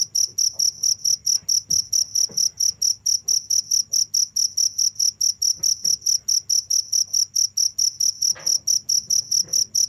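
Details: Continuous cricket chirps, high and bright, beating at a regular rhythm of about two per second, with faint low taps and a steady hum underneath.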